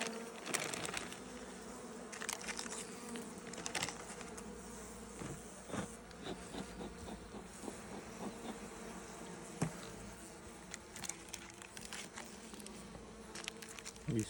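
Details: Winter honey bee colony, among the strongest hives, inspected and fed one and a half kilograms of solid food on 30 January 2026; continuous low buzzing hum of the cluster with intermittent tapping and rustling.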